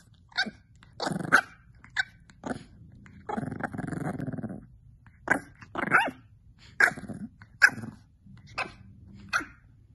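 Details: Very squeaky little puppy indoors: sharp high squeaks and yelps roughly every second, broken by a buzzy two-second growl in the middle.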